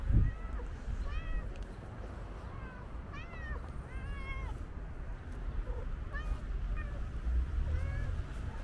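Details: Stray tuxedo cat, lively and leaping to grab a leg, meows repeatedly: clear arched mews, some in quick pairs, spread across the clip above a constant low background hum.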